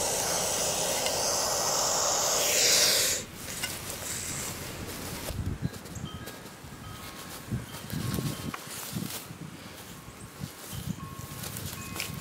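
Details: Captive baby hognose snake hissing before feigning death: about three seconds of strong continuous breathy hissing stops abruptly, followed by soft scattered thumps and rustles of handling.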